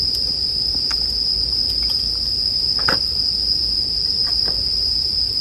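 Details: Continuous high-pitched ringing of a bell cricket held level throughout, over soft campfire crackling with a few sharp pops, one louder near three seconds.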